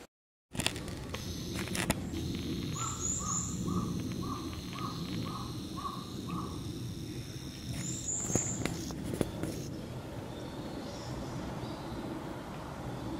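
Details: A forest green tree frog gives a run of short, evenly spaced croaking notes over steady background noise at a small pond beside a rural mountain temple in Japan on 14 July 2019, after rain.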